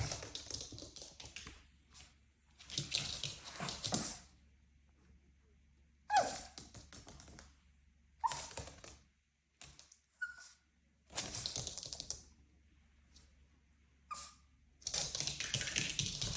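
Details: A pet dog at play indoors gives a few short, thin whines, some sliding downward and others briefly held at a higher pitch. They are spaced several seconds apart between bursts of loud rustling, thumping and handling noise.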